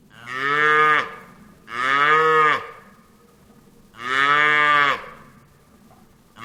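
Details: A cow moos three times in a row. Each low, drawn-out bellow lasts about a second, with short quiet gaps between them.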